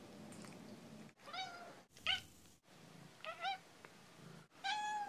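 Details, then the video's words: Skeeter, a female pet cat, gives assorted meows in a montage: four separate short meows with clipped silences between them, some rising then falling, others flat and bright, over a low indoor hum. "Skeeter Meowy Montage"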